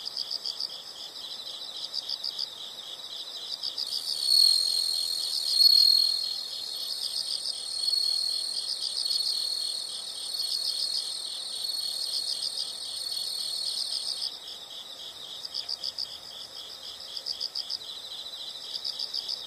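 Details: High insect trilling continues throughout, finely pulsed. For about ten seconds in the middle, a louder, thin, sustained whistling tone and a still higher, fainter band sit over the chirping, then fade away.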